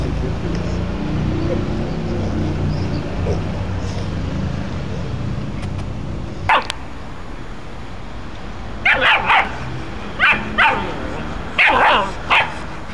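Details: Dog barking while an adult male dog named Gordon plays gently and calmly with a Pit Bull puppy. A single sharp bark is followed by bursts of short, repeated barks in pairs and triplets over a steady background hiss.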